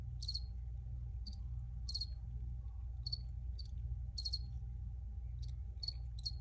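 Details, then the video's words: Recorded crickets chirp in clustered bursts of brief pulses at a high pitch, sometimes two or three close together, over a continuous low-frequency hum. "Free Cricket Sounds for Re-Use or Relaxation"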